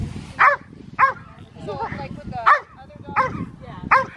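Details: Monty, Old English Sheepdog herding sheep, lets out short punchy barks spaced around half a second to a second apart, over background chatter and outdoor rumble.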